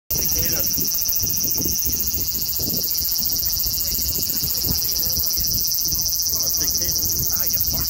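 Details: A giant cicada gives a steady, shrill, high-pitched buzz with fast, even pulsing that runs without pause, while people talk quietly underneath.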